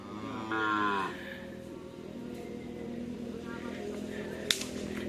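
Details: Javanese cattle during training at a field in Asemanis, Pamekasan, Madura. A single loud, harmonic moo lasts about half a second near the start and drops off. Crowd murmur and background noise follow, with a sharp crack near the end.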